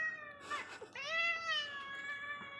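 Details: Domestic cat, a munchkin kitten, meowing indoors: two high harmonic-rich meows, a short one then a longer drawn-out cry that rises and holds steady before fading, over faint room noise.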